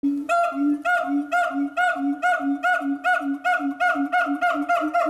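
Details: Siamang at Chiba City Zoo calling in loud, rhythmic hoots, each a strong harmonic note repeated about every half second in a steady, booming series.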